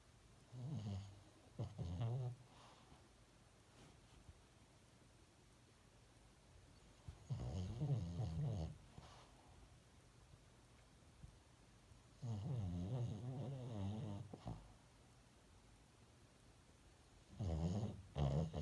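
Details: Sleeping dog snoring indoors, with four low, rasping snore bursts, each lasting one to two seconds, spaced about five seconds apart, and quiet breathing in between.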